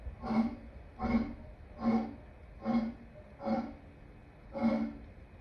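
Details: Lion uttering six short, deep grunting roars spaced roughly every three quarters of a second, fairly quiet and evenly paced.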